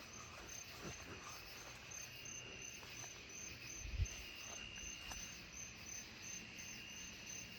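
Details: A tree cricket, thought to be a narrow-winged tree cricket (Oecanthus niveus), sings from a low tree on a rainy July night in a yard, a steady, high, pulsing trill over a soft insect chorus.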